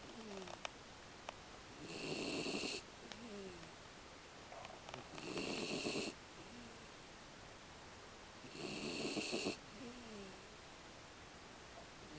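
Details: American Beagle named Aki snoring while asleep: rough, hissing snore bursts about a second long come roughly every three seconds, with faint squeaky nasal whistles in the quiet gaps between breaths.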